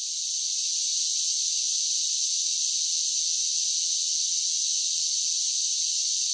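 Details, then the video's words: Continuous high-pitched whirring of summer cicadas, rising quickly to full volume and then staying flat and unchanging, with no birds, wind or people heard. "Cicada Sounds"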